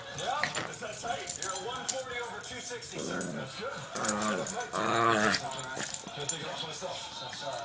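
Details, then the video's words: Two pet Shih Tzus, one named Max making the sounds, give funny Chewbacca-like noises and barks; drawn-out harmonic groans swell near three and five seconds, mixed with people talking and laughing over them. "two shihtzus making funny chewbaca sounds and barking"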